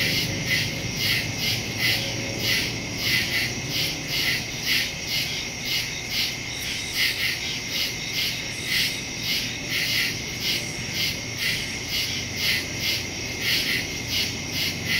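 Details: Crickets at night in the woods, recorded September 2, 2023 on a Samsung Galaxy S22 Ultra phone with a Shure MV88+ stereo microphone; dense high pulsing chirps in steady rhythmic bursts, many callers overlapping, faint low hum beneath.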